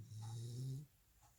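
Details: Welsh Corgi Jandi, dozing after a two-hour walk, lets out a single steady low droning snore lasting under a second, slightly rising in pitch before it stops abruptly, followed by quiet breathing.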